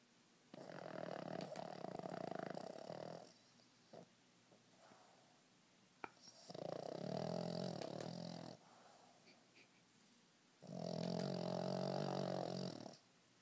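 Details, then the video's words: A 4-year-old Boston Terrier snores loudly, as he does every day, in long, rumbling breaths with quiet pauses between them. "Chip the Boston Terrier snoring."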